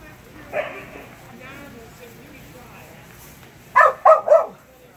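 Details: Kerry Blue Terrier named Phenix during a Senior level Barn Hunt qualifying run, June 8, 2019: a short low sound early, a long quiet stretch, then three quick barks close together near the end.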